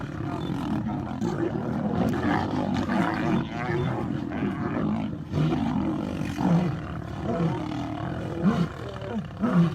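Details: Lions fighting: a lone lion attacked by four others growls as it fights back. Dense, rough low growls and roars overlap continuously, with surging loudness and no clear pauses.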